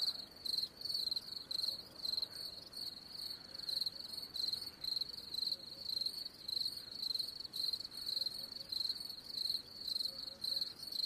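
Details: Rapid cricket chirps, bright high-pitched pulses following one another in quick regular bursts throughout, over a quiet hissing background.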